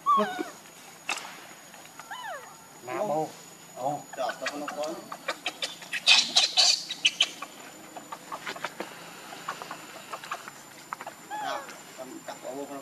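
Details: Hungry baby monkey crying and begging its mother for milk: wavering, harmonic whimpers that rise and fall in short bursts, separated by brief pauses, over sharp clicks and rustling handling noises.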